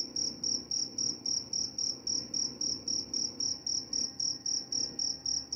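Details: Cricket calling steadily, a high shrill pulsed trill repeated about four times per second in an even rhythm, over a low background hum.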